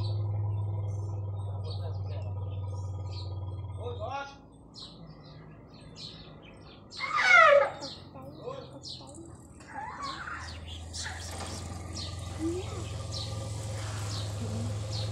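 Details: Elephant. An elephant lets out one sharp, high-pitched squeal that drops quickly in pitch and lasts about a second. A low, droning engine-like hum runs beneath most of the recording, with faint rustling throughout.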